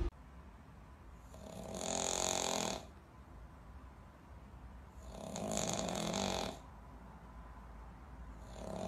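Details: Pug snoring indoors: two long, rasping, breathy snores roughly three and a half seconds apart, each lasting over a second, with quiet breathing in between.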